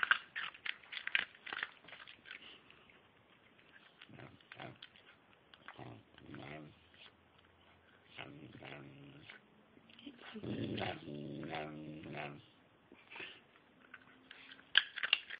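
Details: Silken Windsprite dog trained for several months to "tell stories", giving low, drawn-out grumbling moans in bursts that rise and fall like speech, between stretches of clicks, rustles and quiet.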